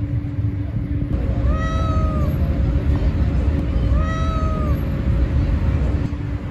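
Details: Two long, bowed meows from a stray cat, about two seconds apart, each swelling and sliding down at the end, set against deep urban rumble and an unbroken electrical drone.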